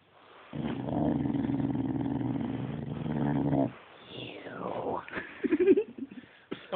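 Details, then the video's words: Domestic dog filmed on an Android phone, grumbling in a long, even, low growl for about three seconds, followed by a sweeping whine-like vocal slide and scattered short sounds with quieter gaps. "Speaking Devil Dog"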